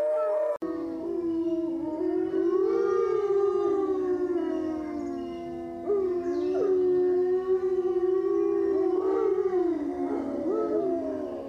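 Several wolves howl together in long, sliding, overlapping tones that rise and fall, forming a continuous wavering chorus.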